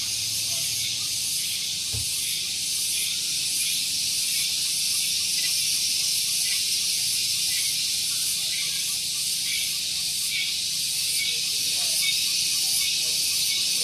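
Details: Cicadas singing loudly on a morning at Gunung Geulis, Bogor, West Java, Indonesia, near a vehicle parking area: a dense, steady, hissing buzz held high and unbroken, with faint pulsing throughout and a brief low thump near the start.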